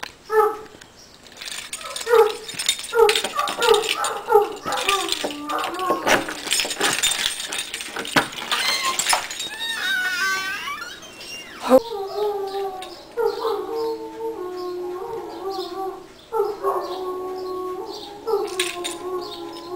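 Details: Irish Wolfhounds giving their 'song' on St. Patrick's Day: short harmonic yelps in quick series, then a noisy stretch, then longer wavering moaning tones that rise and fall, several overlapping.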